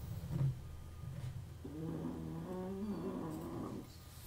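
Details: Dog snoring indoors while a 1974 Seiko wristwatch is serviced: one drawn-out, tonal, harmonic snore of about two seconds over a low steady rumble, with soft clicks of work nearby.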